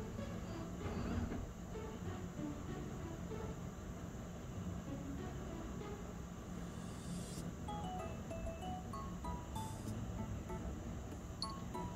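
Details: Steady background music with low rumble and scattered tones, no animal calls heard.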